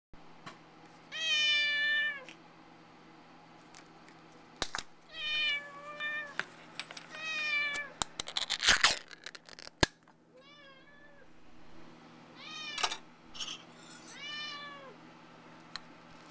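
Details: Indoor recording of two house cats, one licking an empty cat food can while the other keeps the prize to itself; about seven clear, rising-then-falling meows in a few bursts, with clicks and tapping noises from the can.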